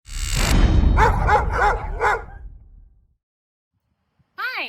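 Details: Tilly, a two-year-old female Belgian Malinois trained in protection and obedience, lets out a quick run of five ringing, harmonic barks after a loud initial burst, then falls silent before a person starts talking.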